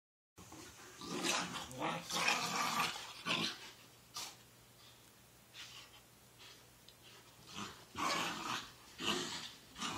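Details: Two dogs, Sakura and Taki, during their daily morning play: bursts of rough, noisy growling come in clusters with short quiet gaps between, scuffling throughout and a faint steady low hum underneath.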